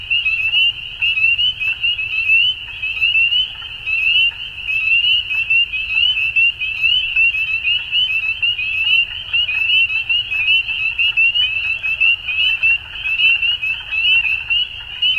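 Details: Continuous spring evening frog chorus from Ontario, Canada: countless shrill, short, rising peeps blending into a ringing high band, with nearer individuals popping out irregularly and a quiet low rumble beneath.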